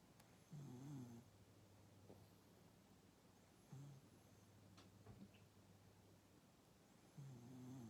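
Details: Rescued dog asleep in a sprawled pose, snoring; three soft, low rasping snores about three seconds apart, each lasting under a second, in a quiet indoor room.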